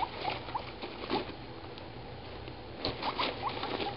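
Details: Pet guinea pigs, Dum Dum (over three years old) and Moo (one year old), exploring a freshly cleaned cage with a tube and hammock; short rising squeaks come in scattered bursts over steady rustling and patter of movement.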